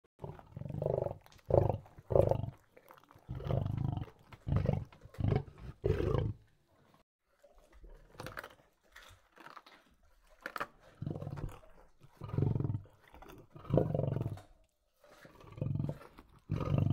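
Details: Lion eating, giving deep, rumbling growls in short bursts of one to two seconds, repeated with brief pauses, alongside faint crunching and chewing noises.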